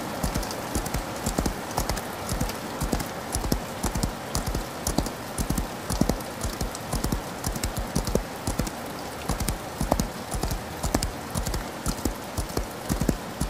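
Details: A galloping horse in rain, heard as a long run of dull, low hoof strikes falling in loose repeating groups, with constant rain hiss covering the upper range throughout.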